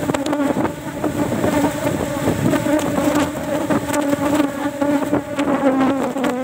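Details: Kept Apis cerana colony disturbed during harvest, only one frame taken because honey is scarce before flower season; loud even drone with bright harmonic bands, punctuated by irregular clicking knocks.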